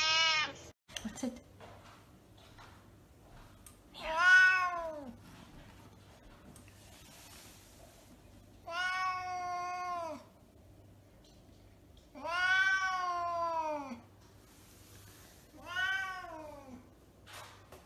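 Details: Havana Brown cat meowing four times in a quiet indoor room, one call every three to four seconds. Each meow is clear and arched, rising then falling in pitch. A brief human voice is heard at the start.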